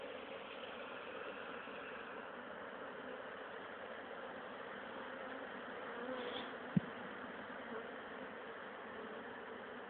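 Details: Honey bee swarm from an old queen, caught and re-hived the next day in a poly nuc with a small entrance, late April 2011: a steady, low, even hum fills the whole recording, with one sharp click near seven seconds.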